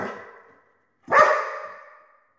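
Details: One forceful bark from a dog chasing a laser light, following the fading tail of an earlier bark, with a drawn-out echo in a quiet indoor room.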